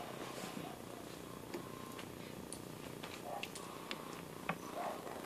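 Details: Domestic cat purring indoors: a steady low rumbling purr runs throughout, with soft clicks and faint brief higher sounds above it.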